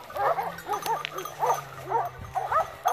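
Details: Segugio Maremmano hounds hunting wild boar near Poggio San Lorenzo, Rieti, Italy, November 2017, giving a chorus of quick arched yelps and bays in overlapping bursts, with a faint low drone underneath.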